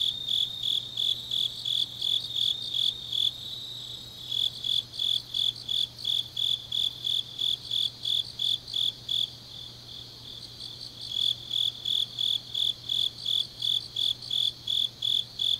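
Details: Late autumn night in Changnyeong, South Gyeongsang Province: grass insects give high, pulsed chirping in quick regular bursts, fading twice and then returning strongly, with a soft low background hum throughout.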